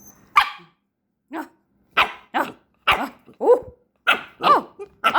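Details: Jack Russell Terrier puppy indoors, giving a run of sharp, broadband barks, about nine in five seconds at uneven spacing, some with a growly edge; faint background music.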